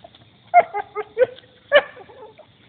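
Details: Belgian Shepherd playing with a turtle, giving a quick run of five short, bright yips over about a second and a half, with quiet gaps between them.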